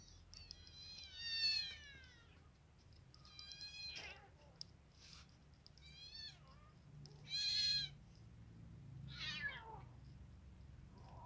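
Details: Hungry baby kittens, four of them, eating boiled chicken and meowing in loud bursts every couple of seconds, some calls shrill and wavering, others short and falling, with a low background hum.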